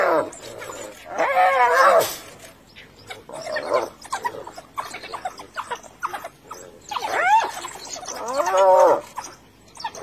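Hyena calls: harmonic, arching cries that rise and fall, coming in loud bursts every few seconds.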